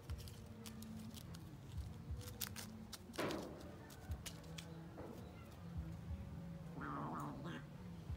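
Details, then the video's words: Kittens fighting in play: two brief harmonic yowls, one sweeping down near three seconds and another wavering around seven seconds, over a low steady hum with scattered clicks and rustles. "Kitten fights playing"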